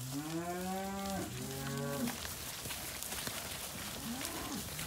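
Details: Angus and Black Baldy weaners at a Casino cattle sale, March 2021. Two strong moos open the clip, the second lower and shorter, followed by general yard noise and a faint distant low.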